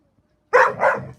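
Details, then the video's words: Puppy-style talking from a pet dog, two quick connected yowling barks, the first sharper and the second more drawn out and falling, with a quiet indoor background. "puppy talking"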